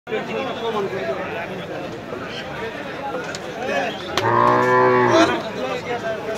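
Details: Cattle at a busy market; a loud harmonic moo of about a second rises out of steady crowd chatter and background noise.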